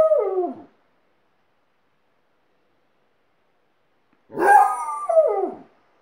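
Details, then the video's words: Alaskan Malamute teaching a second household dog to howl; a short descending howl, then a long pause, then a louder two-part wavering howl that rises and falls. "Alaskan Malamute's Howling School"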